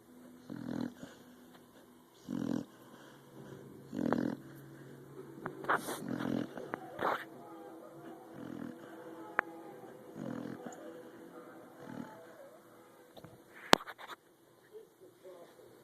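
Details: English mastiff puppy snoring: soft, low, rasping breaths that repeat about every one and a half to two seconds. Later the breaths turn irregular, with a few louder snorts and a sharp click near the end.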